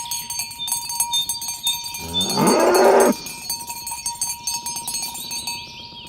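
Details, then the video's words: Tame cattle herded in the morning toward the pen along village roads, calling others to gather: a single rising, harmonic moo of about one second amid constant clanking cowbells and ringing bell tones. "Suara sapi lembu berkeliaran di ladang rumput hijau memanggil kawan untuk berkumpul - Bunyi sapi"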